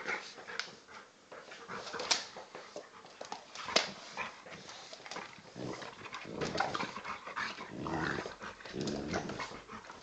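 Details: Old English Bulldog pup of about 10 kg play fighting with a 40 kg male Bullmastiff cross indoors; broken rough growling and snorting noises with scuffling throughout, sharp louder bursts near two and four seconds.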